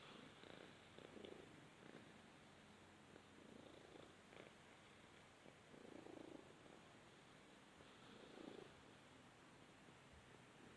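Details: Purring Balinese cat cuddling in the sunshine, low even rumble rising and falling in gentle pulses every couple of seconds.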